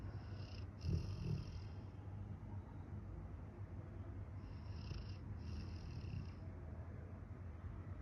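A sleeping Rottweiler snores with a deep, steady, rumbling drone.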